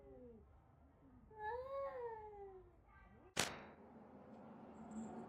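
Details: Indoor cat giving a drawn-out meow that rises and falls, then a sharp thud; soft room noise and faint human voices around it.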